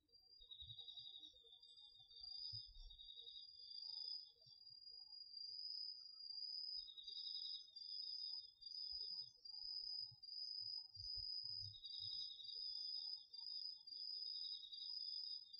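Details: Nighttime autumn insect concert from a garden field, crickets included, recorded on a DR-40X: an unbroken high trill with a lower pulsed chirping insect joining in repeated phrases of several seconds, plus faint low rumbles.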